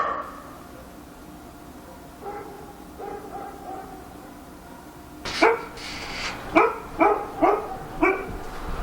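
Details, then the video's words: Dog barking at night in Korea: a few faint muffled calls, then a run of six loud sharp barks spaced under a second apart in the final seconds, over a low steady background hum. "밤중에 개짓는 소리"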